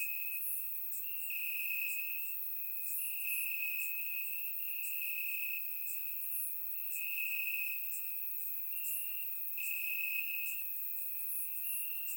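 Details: Night chorus of crickets in Bulgarian grass on a warm summer evening, surround-recorded; an unbroken high-pitched trill swells and fades slightly, with scattered sharper chirps repeating irregularly over it.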